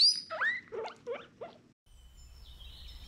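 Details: Guinea pig, said to communicate through chirps and squeaks: a quick burst of four or five short squeaky chirps, the first high and sweeping downward, then quiet with a faint thin tone.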